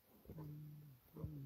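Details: Hyena being killed at Tafrant, Frayata, Tagzirt, El Ksiba district, Beni Mellal province, Morocco: two low, steady, drawn-out moaning tones with harmonics, each held for about a second and separated by a short pause.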